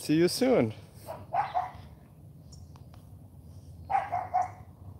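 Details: AKC champion Cane Corso puppy named Charme during morning training, being taught to bark: one loud, bending harmonic bark at the start, followed by short bursts of human voice and quiet pauses.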